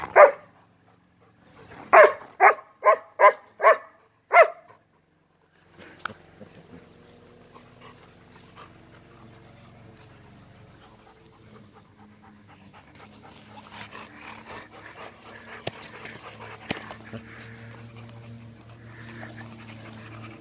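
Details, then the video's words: German Shepherd dogs give a quick series of about seven loud barks in the first few seconds, followed by a long stretch of low humming background noise with faint rustling. "German shepherd dog са немачким овчарима"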